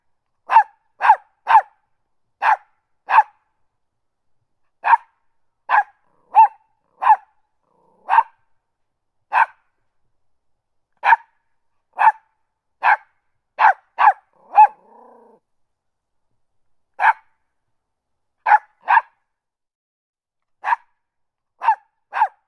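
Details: A small dog, a Westie Terrier, barks constantly, with sharp, high yaps often coming in quick pairs.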